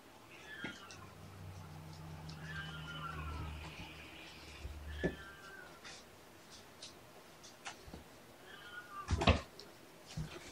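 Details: Indoor afternoon playtime for Mama Seraphina's four shelter kittens at Purrfect Pals: several short, bright, descending meows spaced a few seconds apart over a steady low hum, with scattered taps and a loud bump near the end.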